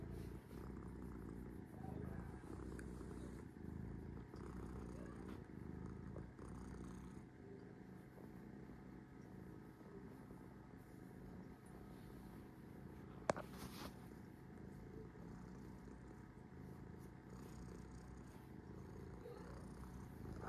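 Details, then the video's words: Resting cat named Sora purrs continuously, a low pulsing rumble that rises and falls gently with each breath, one sharp click near the middle. "Take a rest with cat Sora- three minutes purring"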